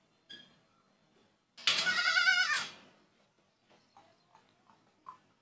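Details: A goat gives one loud, harsh, quavering bleat lasting just over a second, preceded by a brief short cry. Faint small clicks and squeaks follow afterward.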